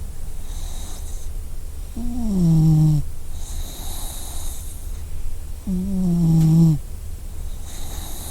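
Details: Sleeping dog snoring: two long, low droning snores about four seconds apart, each steady and slightly falling in pitch, with quiet breathing between.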